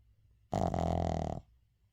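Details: One long rumbling snore from the sleeping Shih Tzu 의중, under a second, rough and nasal with a steady buzzing texture, then quiet breathing in a small indoor room.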